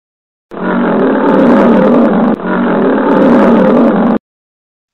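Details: A lion's roar from a lesson on zoo animals: two long, rough, steady roaring rumbles back to back, the first about two seconds and the second nearly as long, then silence.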